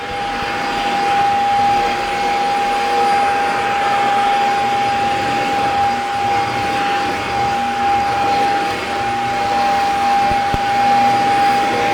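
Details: Loud vacuum cleaner drone with a steady whining tone that fills the room, with no barking or other animal sounds.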